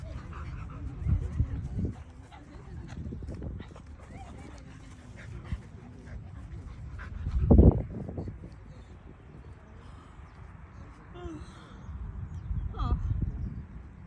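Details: Shiba Inu and Border Collie play-wrestling together (wan-pro, dog wrestling play); three short, loud, harsh bursts near the start, middle and end stand out over a steady low rumble of movement and scuffling.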